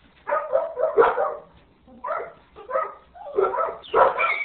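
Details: Yellow retriever puppy at three weeks old giving a series of short, whiny yelps and whimpers in about six bursts, some rising into a higher squeak at the end.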